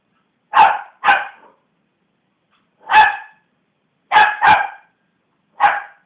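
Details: West Highland White Terrier, a female pet dog, barking after being provoked by hands bashing on a sofa; six sharp, harmonic barks in short pairs and singles, some with a rough growling edge, otherwise quiet.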